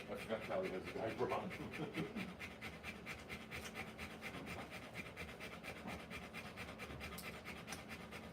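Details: Rottweiler giving birth to puppies, panting in quick breathy bursts; a short human voice speaks in the first two seconds, then the steady panting continues alone over a low hum.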